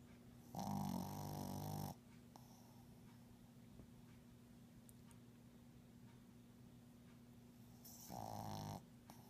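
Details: Pug asleep indoors, snoring in two long raspy nasal breaths several seconds apart, with quiet low background hum in between.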